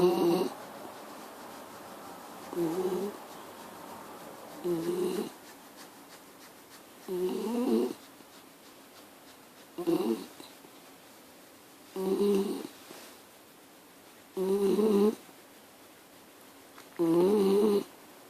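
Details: Miniature Schnauzer snoring, a rough nasal snore repeated roughly every two and a half seconds, eight even breaths with quiet gaps between.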